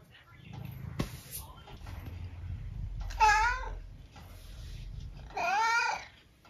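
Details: Twelve-year-old UK tabby named Eric, indoors, wanting food: two drawn-out, wavering meows about two seconds apart, each roughly half a second long, with a brief click and low room rumble between them.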